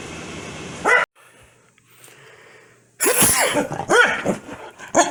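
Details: Foxy the Corgi reacts angrily to a sneeze with a burst of sharp, rapid barks after a short quiet gap, the first bark coming just before a cut.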